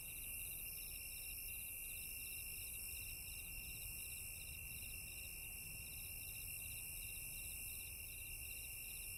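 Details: Crickets chirp together in the daytime in a steady, high, pulsing chorus over a low background rumble.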